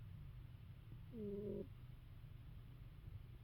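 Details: Snoring from a sleeping she-cat, quiet and close: a continuous low breathy rumble broken by one brief whistled note with two clear tones lasting about half a second mid-clip.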